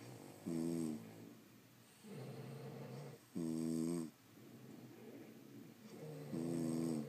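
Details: Indoor recording of French Bulldogs asleep: rhythmic snoring alternating loud vibrating harmonic snorts with softer rushing exhales, repeating roughly every three seconds.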